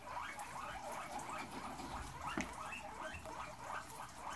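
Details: Several guinea pigs kept in a cage crowd toward fresh veggies. Quieter, overlapping chirpy squeaks repeat rapidly beneath a steady hiss of rustling and shuffling.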